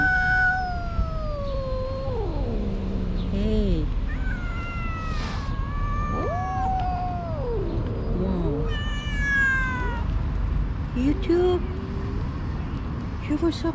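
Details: A recently neutered calico cat, angry and feeling trapped by five cats around her in a park, yowls over and over. The long, wavering moans swoop down and up with growly dips, while a person talks nearby.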